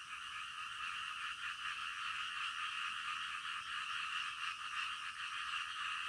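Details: Frogs calling in the middle of the night, a dense, steady chorus of overlapping croaks that blends into a continuous rasping hum with only faint pulsing throughout.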